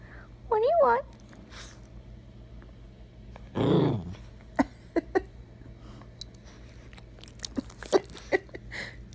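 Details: Attention-seeking rescue dog Bella whines indoors: a wavering high whine rising and falling, then a harsher low groan a few seconds later, followed by scattered clicks and small rustling sounds.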